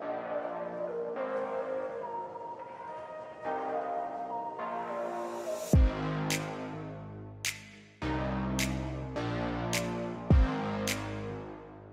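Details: Electronic music with sustained synth tones and sharp percussive hits, no animal voices heard.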